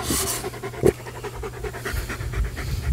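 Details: German Shepherd dog panting while playing with a tug-and-toss ball; quick, breathy puffs repeat several times a second, over a steady low hum, with one sharp knock early on.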